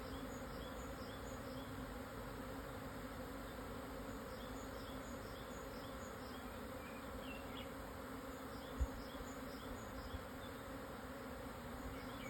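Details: Swarm of Japanese honey bees moving house at 12:50 on 17 June 2024, highland site 1054 m up on Yatsugatake's southern slopes, Yamanashi, Japan; continuous droning hum, faint bird chirps above, one sharp knock near the end.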